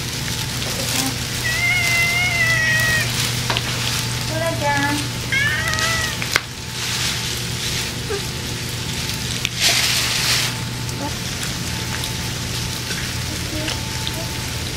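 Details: Ear-tipped stray cats fed pouches of food on a rainy midsummer day in Japan; a drawn-out wavering meow followed by short chirping meows, over steady hissing rain and a low hum.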